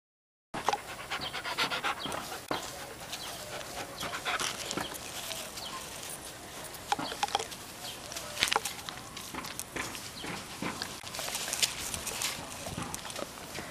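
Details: Pet dog named Rev indoors, breathing in quick noisy panting puffs throughout, with sharp bursty snorts standing out near the middle and end, one likely the sneeze; a person's voice answers briefly afterward.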